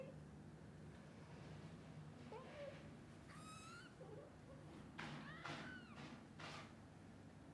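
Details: Waking kittens call to their mother cat, wanting to play outside; a few sharp arching mews, one bright harmonic-rich call mid-clip and more toward the end, alongside bursts of broadband noise and low hum.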